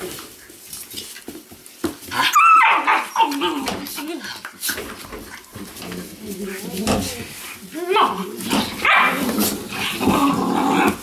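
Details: Weimaraner puppies from the Indigo and Magnum litter, making a mix of high, wavering whines and short yips that come in scattered bursts, with some human voices in the background.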